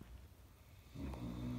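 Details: A sleeping Caucasian Shepherd Dog named Kuzma gives a short, low, rumbling snore that swells halfway through a brief breath.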